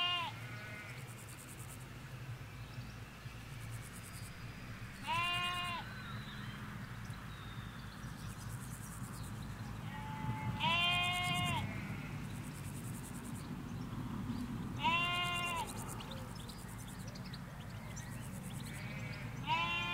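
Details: Ewes and lambs bleating in a Hampshire countryside field in England, recorded in stereo from a hedge side away from the road: five wavering, harmonic-rich bleats a few seconds apart, one near each end, over a steady low rumble.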